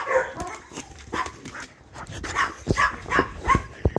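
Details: Chihuahua, a female dog. Quick run of sharp, high yaps and whiny barks, about three per second, with a few low thumps in between.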